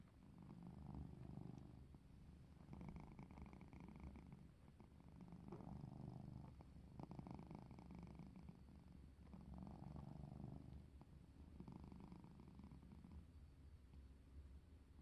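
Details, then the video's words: Low, throaty purring from a pet cat at play, rhythmic waves of rumble rising and falling about every two seconds, steady and close throughout. "HOW DO CATS COMMUNICATE | CATS SOUNDS"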